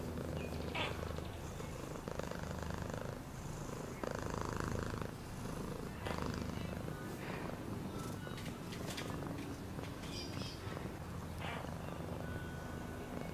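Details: Domestic cat purring continuously, a low steady rumble with a fine pulsing texture throughout, broken by faint brief higher clicks and rustles.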